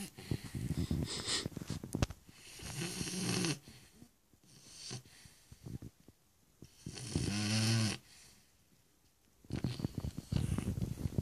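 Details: Stefani, a Shar Pei, snores indoors: drawn-out, throaty inhalations with a low, vibrating drone every few seconds, separated by softer breaths and faint rustling.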